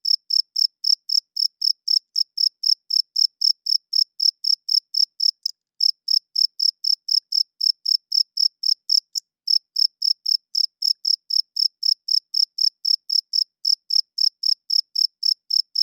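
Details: Night-time cricket chirping, the males' song for attracting females and marking territory: rapid, high-pitched pulses of about four per second, interrupted only by two brief pauses, with no other sounds.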